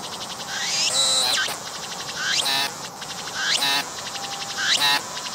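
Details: A singing cicada filmed at close range on a tree with a 180-degree 3D VR camera, its transparent wings showing the abdomen pumping as it calls. It gives loud buzzy pulsed phrases, each starting with a rising sweep, about once a second and slightly irregular.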